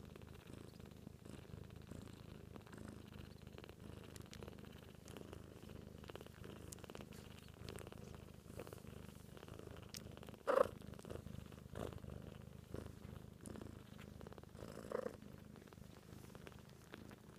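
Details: A mother cat purrs steadily to her 2-week-old kittens, a low continuous rumbling vibration; the kittens purr too but are barely audible.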